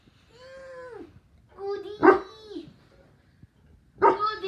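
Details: Saint Bernard puppy, sitting wherever he wants, gives drawn-out, falling whimpering cries, then two short yelping barks about two seconds apart, with quiet gaps between and a person speaking Spanish nearby.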